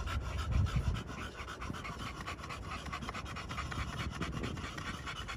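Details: Fast, even panting from pocket American Bully males at a kennel in Romania, made of crisp huffing breaths at about three or four per second, with a louder thump near the start.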